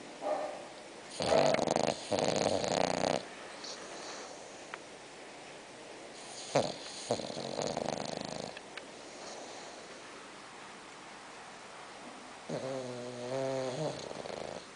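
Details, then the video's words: Sleeping six-month-old bulldog Spock snoring: several rough, rattling snore bursts with breathy pauses between them, ending in a wavering, whistly harmonic snore, recorded in a small indoor room. "Bulldog Roncando"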